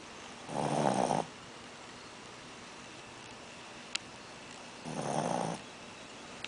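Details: A Shih Tzu puppy snores after eating too much, in slow, rasping breaths, each lasting under a second.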